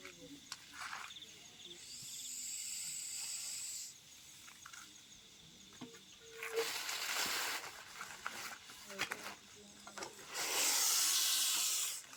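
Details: Russell's viper caught by a snake rescuer after it entered a home, later released. Three long, forceful hisses of roughly two seconds each, separated by pauses, with scattered voices and handling noises between them.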